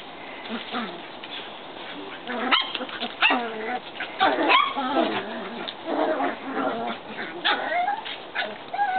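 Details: Several Shetland Sheepdog puppies outside, whining and yipping almost continuously, with rising and falling squeaky whimpers and sharp little yelps every second or so.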